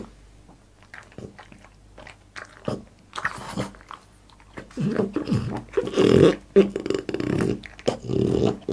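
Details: Boss the French Bulldog chewing and biting food in a small indoor room, ASMR mukbang style: sparse crunches at first, then dense, loud gnawing and smacking with low grumbling in the second half.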